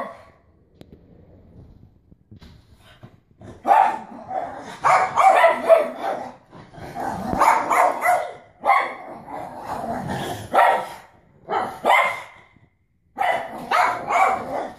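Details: Pug acting wildly after a bath, excited from being wet; after a quiet start, a burst of rough, irregular barks and yips follows in rapid clusters with brief pauses between.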